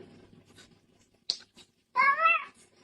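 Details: Pet cat in a funny cat compilation, giving one short harmonic meow that rises then falls, preceded by a few faint clicks and a sharp tap, with a person saying "Mama" nearby.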